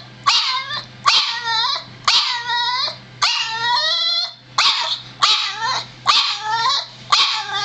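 A Boston Terrier gives sharp, high-pitched barks, repeated roughly once a second.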